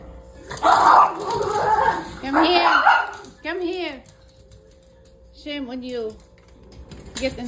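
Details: Pugs join their routine 5 am and 5 pm howl party at home: rough, noisy vocalising gives way to two clear, arching howls that rise and fall, separated by brief pauses, with faint room noise between.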